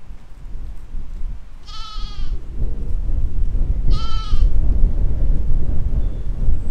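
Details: Grazing sheep and lambs in a spring 2020 field give two loud, quavering baas about two seconds apart, rich and harmonic, over a constant low rush of wind.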